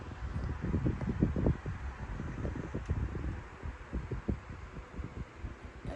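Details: Saran, a flat-nosed Pekingese-Shih Tzu mix dog, sleeping comfortably indoors and snoring loudly: low, rumbling snuffly bursts in quick irregular runs, louder at first, then easing, over a steady low hum.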